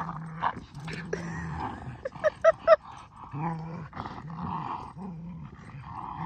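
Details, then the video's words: Two dogs, a Keeshond and a Boston Terrier, tugging on a blue ball while spinning around; steady low growls come in short bouts, broken by three quick high squeaks. "Funny Boston Terrier And Keeshond Are Totally Silly Goofballs While Playing Tug!"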